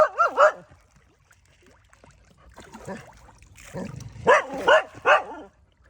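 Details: A local village dog calls fish in to feed. It gives a wavering, whine-like double bark, a quiet pause, then a quick run of three sharp barks near the end.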